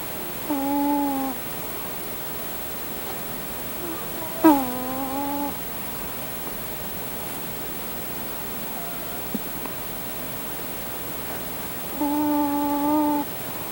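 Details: Sleeping male house cat stretched out on top of his owner, snoring in a whistly nasal tone: one breath, a second with a sharp tick at its start, then a long quiet gap before a third, all over continuous hiss.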